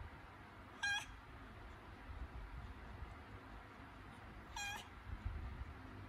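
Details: Domestic cat in labour, having contractions before giving birth indoors: two short, strained meows about four seconds apart, each a clear harmonic cry, set against a low, steady room rumble and faint thumps.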